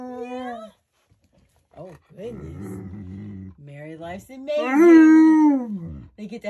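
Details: Two Alaskan Malamutes howling together on their waterbed, something they do daily; long wavering harmonic howls rising and falling, the loudest near the end, mixed with a woman talking between the howls.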